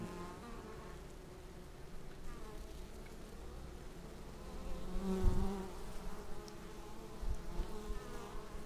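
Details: Bees coming in to land at their hive, recorded with a Xiaomi Yi action camera: a continuous low droning hum that grows louder past midway as a bee buzzes right by.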